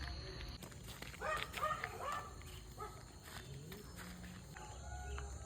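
A fox lets out a short run of high, quavering wails that rise and break for about a second. Faint footsteps and low murmuring voices sit underneath in an otherwise quiet outdoor setting.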